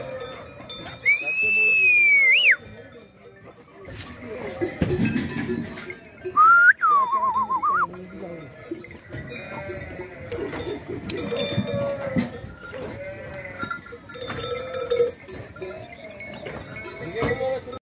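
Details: Sheep in the Šar Mountains (Šarplanina) bleat in wavering, quavering cries over a steady clatter of bells. Two loud high whistles and some voices are also heard.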